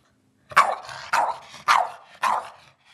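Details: Eddie, a pet dog demanding his dinner, gives four loud barks spaced about half a second apart, each ending in a short fading tail.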